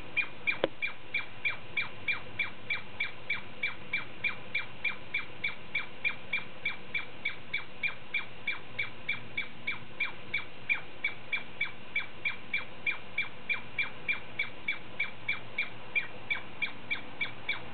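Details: Douglas squirrel giving a long, steady series of sharp, clipped chirps, about three per second, each a short bright note repeated evenly for nearly eighteen seconds with no other clear sounds.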